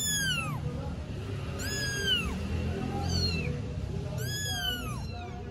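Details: Three four-week-old Istanbul stray kittens crying at the same time: a few long, loud meows that start high and slide downward, spaced about one to two seconds apart, over constant low rumble.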